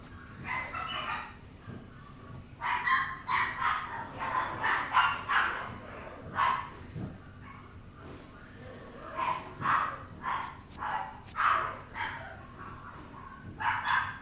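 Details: Young Papillon puppy yelping and whimpering in a long string of short, high, nasal cries, some clustered quickly, others spaced by brief pauses.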